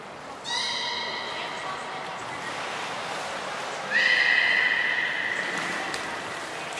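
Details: Captive belugas in training at Port of Nagoya Public Aquarium, December 2018, group of Gray, Mirai and Nico: two sustained, rich whistles three and a half seconds apart, the second louder, over a hissy indoor background.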